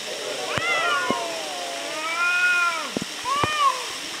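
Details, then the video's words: Two cats arguing near Antalya, Turkey, trading drawn-out, wavering yowls that rise and fall in pitch, three long harmonic phrases in a row, with a few sharp clicks and knocks between them. "Funny Arguing Cats"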